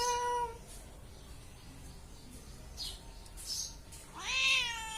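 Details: Domestic cat meowing: a brief harmonic meow at the start, then quiet room noise with faint rustles, and a louder rising-falling meow near the end.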